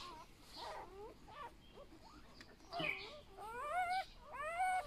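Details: A litter of eight newborn golden retriever puppies, handled by a boy, whimper in short arched whines. The whines grow louder and more harmonic toward the end, with people speaking in the background.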